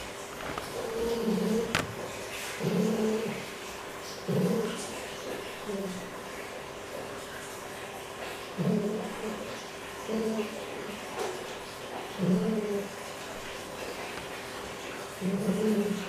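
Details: A captive fox at a quarantine centre gives short, low, whining calls, repeated roughly every one to two seconds.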